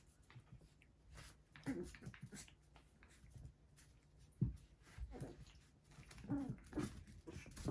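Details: Biewer Terrier puppy sisters playing together, making short whiny growls and yips in scattered bursts, with thumps and scuffling between them.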